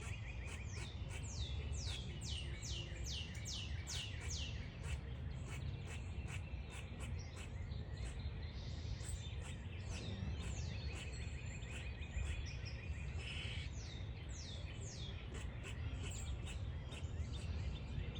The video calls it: The squirrel is making squeaking sounds